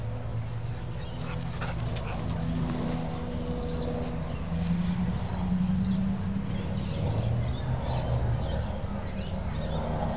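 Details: Two dogs, a husky and a husky cross red cattle dog, playing with a red ball outdoors; drawn-out low whining tones rise and fall over a steady rumble, with brief higher rustles above.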